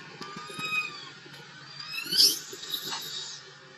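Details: Young wild monkey crying for milk: thin, drawn-out tonal wails that slide downward, followed by a sudden harsh high-pitched shriek and a few softer squeals fading out.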